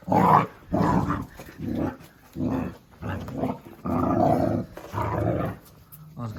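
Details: Jack Russell Terrier Oscar growls steadily in loud, gravelly bursts, each about half a second to a second long, repeated about six times with short breaths between. The growls are close and dominate the recording.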